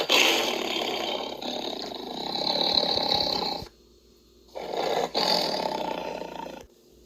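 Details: Tiger, one of the cat species, played for listening: two long, rough, breathy roars, the first over three seconds and the second shorter after a brief silence, broad and noisy with a faint higher whine.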